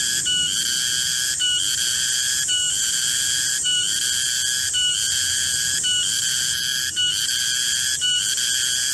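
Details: Midday garden cicada, known locally as garengpung, holding a steady shrill ringing drone. Its rich overtones stutter and shift briefly roughly every second across the whole stretch. Nothing else stands out.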